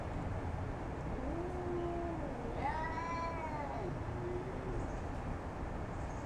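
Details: A domestic cat in a confrontation with a neighbourhood cat: a low moaning wail that swells into a louder arched yowl and then falls back to a low moan, over steady background hiss.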